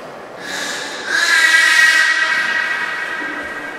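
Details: Captive beluga during a training session with Nana and Mirai at Port of Nagoya Public Aquarium, Japan, 6 May 2017: a sustained, steady whistle with bright stacked overtones rises in after one second and fades slowly, over crowd murmur and hall echo.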